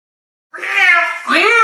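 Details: House cat arguing with her human, making a two-part wavering meow: a strained, nasal first note, then a second note that rises sharply, with no other sounds.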